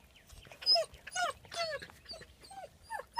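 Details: Ten-week-old male German Shepherd pups at play with IQ games, born 28 January 2015: loud, reedy yelping whimpers that curve down in pitch, coming in quick irregular bursts over a quiet background.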